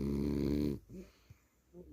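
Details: French Bulldog snoring while asleep indoors: a loud, low, buzzy rattling snore lasting under a second, then near quiet with faint soft breaths.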